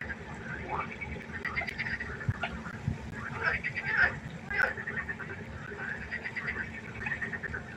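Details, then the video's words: Frogs croaking at night by a pond, a dense chorus of overlapping rattling croaks with no steady rhythm, several louder calls standing out near the middle, over a low hum. "1 Stunde Froschkonzert. Frosch Geräusche quaken."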